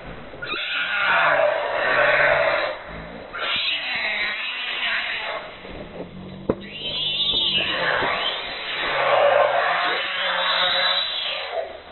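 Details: Monkey mother caring for her baby in the jungle; loud, harsh wavering cries with arching harmonics come in long bursts separated by brief pauses, swelling and fading over the stretch.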